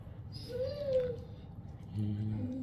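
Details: A Great Dane puppy, upset at not being allowed outside to play while a bear is in the yard, gives a single high whine that rises and falls, with a person talking nearby.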